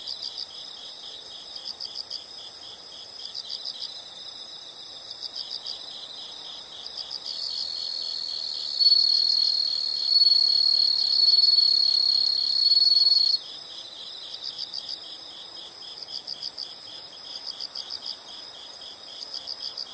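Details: Insect chorus outdoors, with short pulsed chirps repeating roughly four per second throughout and a continuous shrill buzzing trill that enters midway, grows louder, then cuts off, leaving the rhythmic chirps again.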